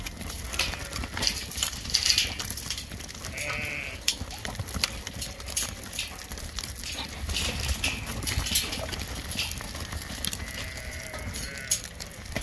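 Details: Border Leicester rams, stud and grade animals for 2021, give faint harmonic bleats around four seconds and again near the close, half buried in continuous low noise and intermittent clatter.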